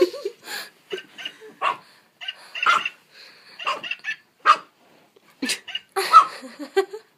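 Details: Puppy barking and yipping at a jingle bells singing Santa toy dog it has always hated; short, sharp, irregular barks with some whining tones, mixed with the toy's tinny music.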